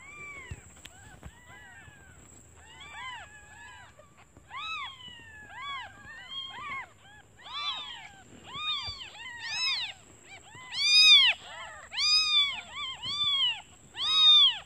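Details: Newborn kittens crying for their mother because they are hungry while she is out looking for food; thin arched mews starting soft and scattered, growing louder and more insistent toward the end, roughly one cry per second.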